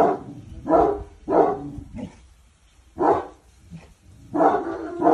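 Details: Cane Corso Boçi, starting to obey commands, barks in four hoarse, deep bursts spaced about a second apart, with a short yelp-like note between the first ones.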